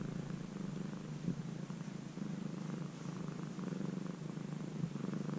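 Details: Close-range recording of a once-stray kitten, tamed over three months, giving a rhythmic low purr that pulses softly with its breathing, over faint background hiss.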